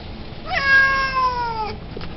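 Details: Siamese cat giving one long meow, rich in harmonics, that starts with a slight rise and then slowly falls in pitch over about a second, with faint background noise.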